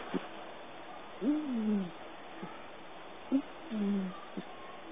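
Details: Abbey, a pet cat asleep on a lap and dreaming, gives a wee snore indoors: soft whistled wheezes gliding downward, each followed by a short faint click, about every two and a half seconds in a quiet room.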